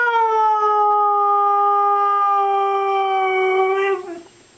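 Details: Female pet Siberian husky "talking" to its owner, who coaxes "say I love you": one long, steady, rich-toned howl held almost level for about four seconds, dipping at the end before stopping.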